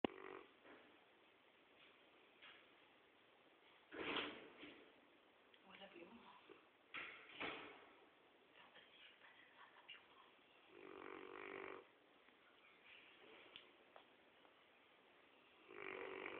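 A sleeping Rottweiler snores in uneven bursts, each a rough, rasping breath a few seconds apart. Quieter snuffling breaths fill the gaps in a still indoor room.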